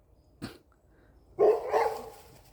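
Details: Behind the house on a cold day, a dog gives a brief bark while the cats approach their owner, wary of them as strangers. A sharp click comes first, then one harsh, throaty bark that trails off.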